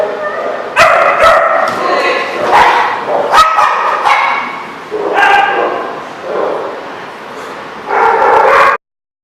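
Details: Dog at The Barking Lot on 3/24/14, giving a run of harsh barks and yelps in uneven bursts, with background noise throughout.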